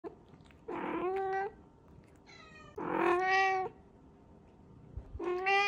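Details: Pet cat wearing a diaper, meowing at its owner: three drawn-out, tonal meows with a rich stack of harmonics, each rising slightly then falling, spaced about two seconds apart against a quiet background.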